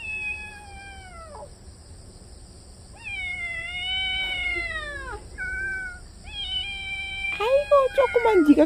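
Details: Kitten defending its yard, yowling loudly to drive off an older cat: several long, wavering meows that bend downward at the end, followed by a person speaking over the final sounds.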